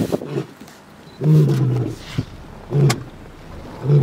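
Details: Wild male lion calling in Kruger National Park, South Africa, while left with the pride's cubs as the lionesses hunt. Deep grunting roars come in a series, one about every one and a half seconds, each short and booming.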